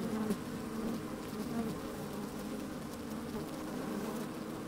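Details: Inside a freshly opened beehive on a sunny day, honey bees moving about: a soft, even humming drone with faint wavering buzzes, steady throughout, plus light crackling rustle.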